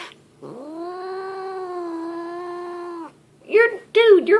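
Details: Grumpy indoor pet cat held by its owner, letting out one long, steady, moaning yowl of about two and a half seconds, slightly wavering in pitch, followed by a person speaking.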